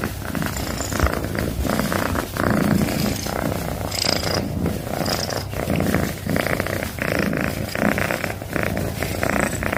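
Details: Loud purring from a pet cat, a deep vibrating rumble that swells and eases with each breath, steady and unbroken for the whole stretch.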